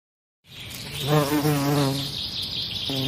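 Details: A bee's buzz swells in after a short silence, wavering up and down in pitch as if the insect moves near and away, over a thin steady high whine in the background.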